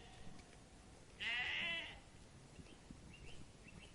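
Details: A single strained, wavering bleat of roughly half a second comes from a sheep eating grass in a meadow. Faint bird chirps follow it, over a low outdoor hiss.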